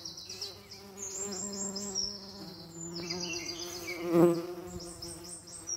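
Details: Steady, deep buzz of a common eastern bumble bee with layered overtones, rising to a louder burst just past four seconds, accompanied by faint high chirps overhead.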